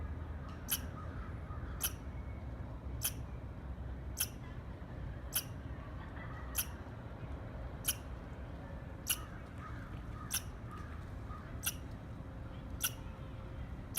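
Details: About a dozen crisp, snapping squirrel chirps repeated roughly every second, with faint tonal background sounds and a steady low rumble underneath.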